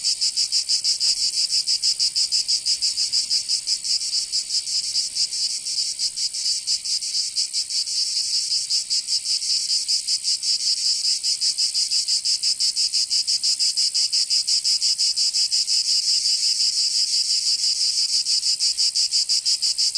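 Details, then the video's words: Provence cicadas in summer, southern France: a dense, continuous high-pitched buzzing chorus with fast, overlapping throbs running the whole time, nothing else audible. "Canto Cigarra 🦗 [ Escuchar les cigarras en verano 10 H]"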